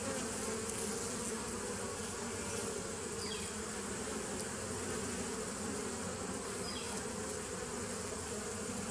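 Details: A mass of bees, recorded 27 September 2018, hums continuously in a thick, even drone with layered low tones. Two faint, brief high chirps break through the buzz midway.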